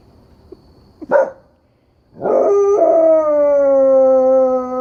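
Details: In answer to coyotes, a dog lets out a brief yelp, then after a pause swells into a long howl that climbs, settles onto a clear sustained tone and slowly sinks.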